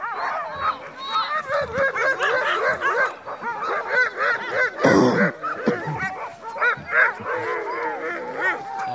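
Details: Sled team of crossbred husky mixes, dogsledding at night while heavily snowing. Many dogs yelp and whine at once in a thick, excited chorus of rising and falling high cries, with a brief noisy burst midway.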